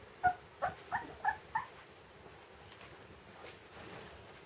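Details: Rottweiler puppies, 20 days old, from a breeder's litter, giving five short whimpering yelps in quick succession, each slightly rising then falling, spread over about a second and a half, followed by quiet indoor room noise.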